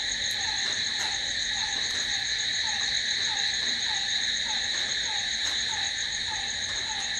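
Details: Night chorus of crickets: continuous shrill buzzing trills holding steady throughout, accompanied by a faint, regular lower chip note roughly every third of a second.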